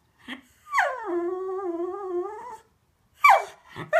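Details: Cocker Spaniel named Cookie wanting to go out for a walk: a sustained, wavering whine lasting about two seconds, slightly rising at its end, followed by short sharp yelps.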